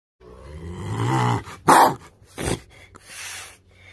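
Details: An aggressive tiger cub roars with a low, rumbling growl-roar, followed by harsh, breathy snarling bursts.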